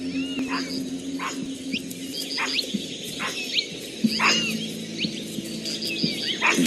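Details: Capuchin monkeys in daylight giving alarm calls, mobbing a cat and warning every creature in the forest of danger; sharp chirping calls repeated roughly every second over steady background music.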